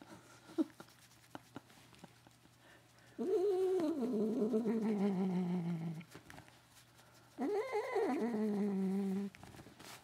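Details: Indoor pet cat Katherine voicing strange sounds during an ear rub: two long drawn-out moans, each starting higher and sagging lower with a wobbling, warbling tone, separated by a short silence.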